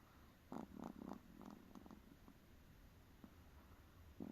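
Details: A tired Chihuahua snoring quietly indoors: soft, rough, low breathy bursts in quick succession for the first two seconds, then sparser snuffles and a final snort near the end.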